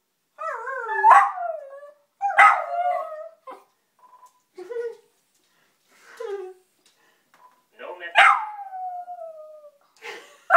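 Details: Teddy the pet dog, annoyed with the answering machine, lets out several uneven yelping howls with falling glides, interspersed with quieter short sounds and pauses, ending in a long descending howl.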